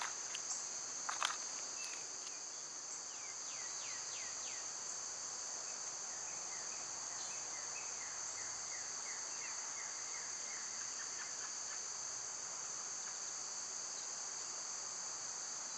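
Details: Cicadas droning in summer: a continuous high-pitched steady buzz, with a burst of rapid bird chirps early on, then a run of repeated short sliding bird notes.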